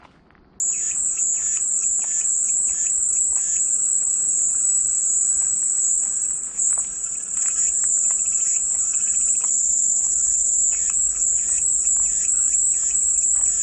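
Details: After a brief quiet start, cicadas burst into a loud, high-pitched continuous drone, with rapid lower chirping pulses repeating throughout.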